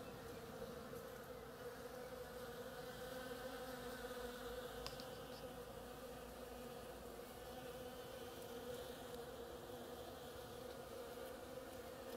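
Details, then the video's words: Bees hard at work on an oriental creeper make a constant, layered droning buzz that holds steady throughout, with one brief faint click and a distant bird chirp near the middle. "Bees hard at work on my oriental creeper"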